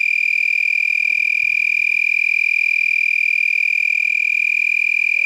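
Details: Lacewings at night near 10 pm, 8 November 2021, in San Marcos, Texas, several vibrating wings lifted above the abdomen; a continuous shrill, frog-like trill pulsing roughly four times a second, very even in pitch and rhythm.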